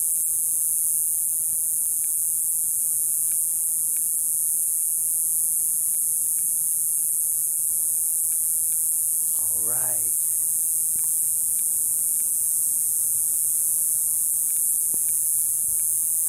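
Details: Cicadas in small trees keep up a steady, very high-pitched hissing drone that never breaks.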